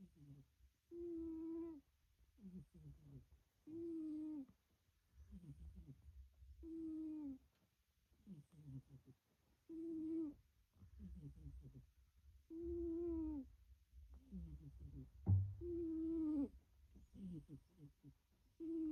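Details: Sleeping pet black cat snoring in a room, each breath giving a short tonal hum with stacked overtones, repeated roughly every three seconds in a loose rhythm, with quieter raspy in-breaths between and one brief knock near the end.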